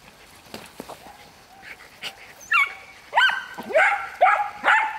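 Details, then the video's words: Miniature wire-haired dachshunds, three one-year-olds, during preparatory hunting training, stimulated to bark at game: faint scattered sounds at first, then five loud, high, ringing barks in quick succession over the last two seconds. "Bassotto Nano Pelo Duro - Sessione di addestramento propedeutico alla caccia - Stimolo all'abbaio"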